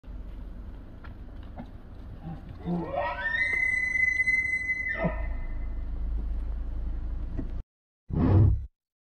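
An elk gives a long, high, whistled bugle that rises, holds steady, then drops into a low grunt.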